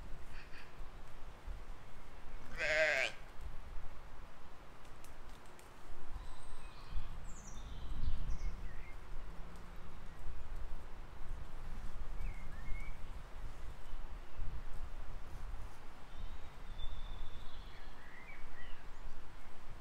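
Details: Grazing sheep and lambs in a field, filmed spring 2020: a single short, trembling bleat early on, followed by a long stretch of low wind rumble with scattered distant bird calls.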